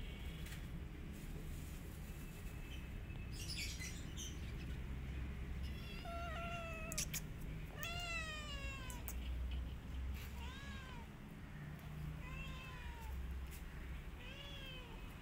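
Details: Mother cat attacking an orphan kitten after smelling her, among her own kittens: a run of about six high, arched, plaintive meows spaced roughly a second apart, starting midway, over a low steady background rumble.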